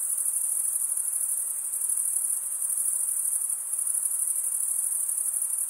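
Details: Summer-night forest crickets sustain a shrill, unbroken high trill with slight pulsing in loudness, over a low background hiss.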